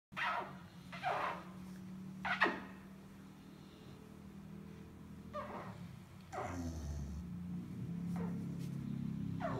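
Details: American Staffordshire Terrier Ronda Rosy, a Junior, national and Grand Champion, showing affection: short, high whining whimpers, several quick rising-and-falling cries in the first seconds, then softer whines later over a steady low hum.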